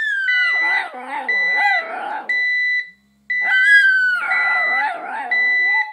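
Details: Pet dog howling at a ringing alarm clock; steady electronic beeping tones repeat throughout while the dog's wavering, sliding howls rise and fall over them, a brief silent gap near three seconds.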